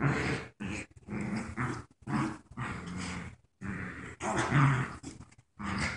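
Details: Playing tug of war, the paralyzed puppy Joy and her friend Wicket give deep throaty growls in bursts of about half a second to a second, with gaps between them, indoors.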